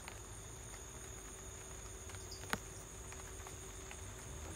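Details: Cricket heard at home during light rain: a steady, high, thin trilling runs unbroken through the clip, beneath soft rain patter and one sharp click near the middle.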